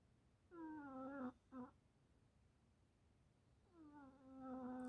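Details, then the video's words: Cat said to be snoring indoors: a sustained, slightly falling moan, a very short clipped note, then another long harmonic moan growing louder as it continues. "Кошка храпит!"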